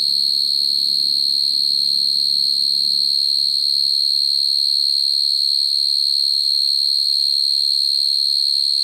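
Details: Male field cricket call used to draw in females, the kind played to lure and trap crickets; an unbroken piercing trill of fast regular pulses, with a soft low hum fading out in the first half.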